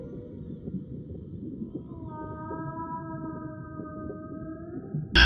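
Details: A gray whale (Eschrichtius robustus) gives a steady, drawn-out tonal moan over a low underwater rumble; gray whales migrate from Alaska to warm Mexican lagoons to give birth.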